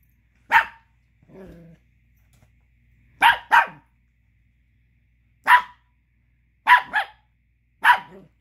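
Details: Chihuahua pup, mad that another dog chews a tiny bone he wants despite having three of his own, lets out short sharp barks in pairs and singles, with a low grumbling growl between the first barks.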